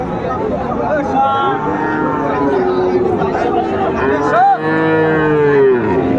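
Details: Sahiwal bull calves at a cattle market where a Chattogram farmer shops, 17 January 2025; steady low mooing from several cattle, then one loud rising-and-falling bellow near the end, over crowd noise.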